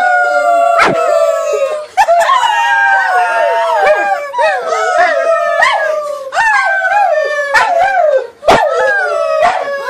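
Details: Rescued mixed dog joining humans in a group howl, drawn-out quavering wails with rising and falling bends, several voices layered together, punctuated by brief sharp taps.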